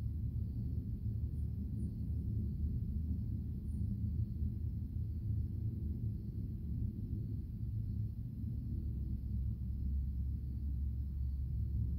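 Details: Steady low rumble and hum fills the recording, a constant deep droning noise like a motor or room background, with no clear animal call or voice standing out.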